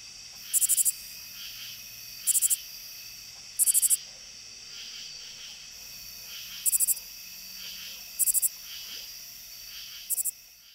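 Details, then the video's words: A lesser angle-wing katydid, a common Illinois/Midwest species, gives short, high, little rasping rattles, each of four or five distinct pulses. "The lesser angle wing with a little rasping rattle composed of four or five distinct notes."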